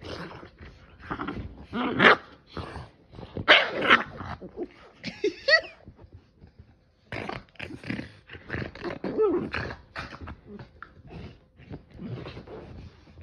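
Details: Sully the Boston Terrier making crazy sounds while playing with Kumo, a Keeshond: bursts of gruff growling and throaty barks in uneven clusters, a brief pause near the middle, then more rumbling play noises.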